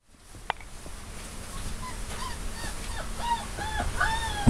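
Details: Black female field-type Labrador Retriever puppy playing and practising gentle play-biting on a person's hand: a run of short, high, arched whimpers, each rising then falling, growing denser and louder in the second half over soft rustling handling noise.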